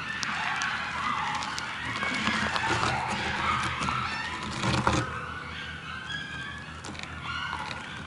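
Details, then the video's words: Coyote pups in Stanley Park give wavering, high whines and yips over a low rumble of distant traffic. "The sound of Coyote Pups in Stanley Park"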